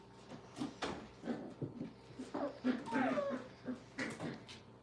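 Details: Five-week-old puppies playing and having fun indoors at a training kennel: soft short whimpers and yips come in quick bursts, with one drawn-out descending whine midway, and faint human voices underneath.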